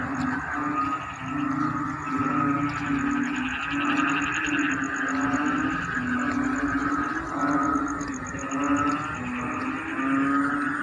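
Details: Many frogs call together in flooded rice fields during the onset of the rainy season. A continuous low buzzing drone pulses in rhythmic swells, overlaid by trilling, rattling notes and a faint high steady whine.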